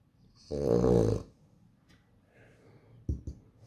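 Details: French Bulldog in a small room giving a single loud, throaty snore of about three quarters of a second, harsh and buzzy with a low rumbling base, then quiet breathing and two short soft snorts near the end.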